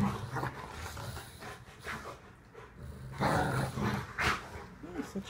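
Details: Rottweilers wrestling in a living room during play: low rough growling and huffing in uneven bursts, with panting, thumps of movement and a man talking over the scuffle.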